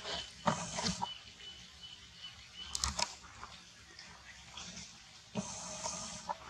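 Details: Monkeys fighting over a queen in a cruel attack near a forest: three short, harsh, noisy screeches with some tonal edge, the last one longer. Between the bursts there is low rumbling background noise and faint scattered sounds.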